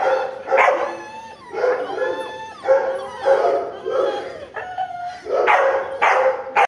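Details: American Pit Bull Terrier in India giving loud, repeated barks about once a second, some stretched into short, howl-like, tonal yelps between bursts.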